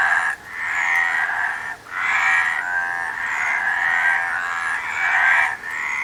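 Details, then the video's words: A frog gives long, harsh, buzzing croaks that run up to a second and a half each, with short breaks between about four calls and a steady, raspy texture throughout. "Frog Sound"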